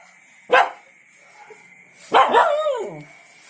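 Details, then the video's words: Shepherd dog barking happily on hearing its mates: two loud, sharp barks about one and a half seconds apart, the second longer and falling in pitch, over a quiet background with a steady high tone. "Happy barking.....hearing mates."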